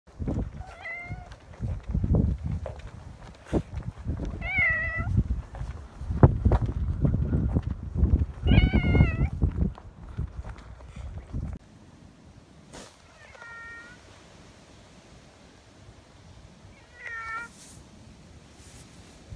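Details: A rescued cat taken in May to the park it came from, meowing repeatedly: drawn-out, wavering meows at about 1, 4.5 and 9 seconds over rustling and footsteps outdoors, then two fainter, higher meows after the noise drops away.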